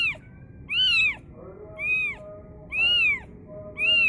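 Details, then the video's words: Young cat crying out at the sound of the adhan; shrill, bowed meows come roughly every second, each rising then dropping, with a steady low hum beneath. "anak kucing menjerit mendengar suara adzan"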